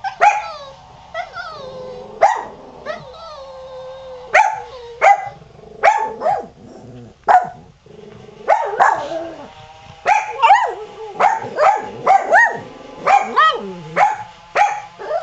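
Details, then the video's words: Pet dog barking at a rototiller running in the yard, loud clipped barks coming in quick irregular bursts, alongside a second dog's high wavering whines and cries, low mechanical hum behind. "Hyzzie cries while Qusi barks"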